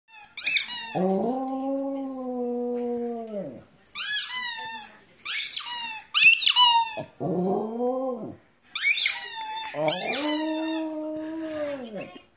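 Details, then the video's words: Rudi the dog howling: long steady low tones of two to three seconds alternate with shrill, wavering high-pitched yelps, in bursts separated by short silences. "Howling Rudi"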